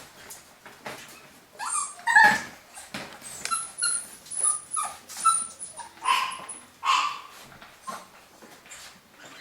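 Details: Golden Cavapoo puppies from a new UK litter, 2015, give high, thin whimpers and squeaky yips with sliding, falling tones, several overlapping in quick uneven bursts, with soft rustling between calls.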